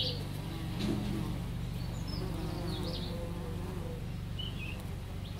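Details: Bees foraging on lavender make a continuous humming buzz that rises and falls slightly in pitch, with brief high bird chirps and tweets in the background.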